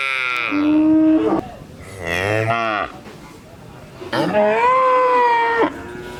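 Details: Cow mooing: a short nasal call, then a longer wavering moo, then a sustained moo that rises and holds steady for about a second and a half before cutting off.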